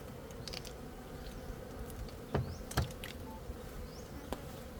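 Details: Gold honey bee; a continuous low buzzing drone with a few sharp knocks near the middle.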